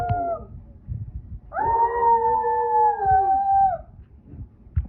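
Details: Dog howling: a short falling note, then a long sustained, smooth howl held for about two seconds at a steady pitch before dropping away at the end, with soft background rustling.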